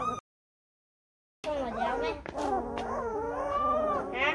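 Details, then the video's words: Turkmen alabai puppies, about 19 days old, with eyes just opening: several overlapping wavering whines and whimpers rise and fall after a brief silence, mixed with a person talking nearby. "Türkmen alabaý güjükleri. Щенки туркменского алабая. Whelps of turkmen alabai dogs"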